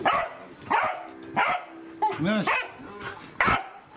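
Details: Welsh Corgi pet dog giving sharp, loud barks about every 0.7 seconds, five in four seconds, with a brief whining yelp between them.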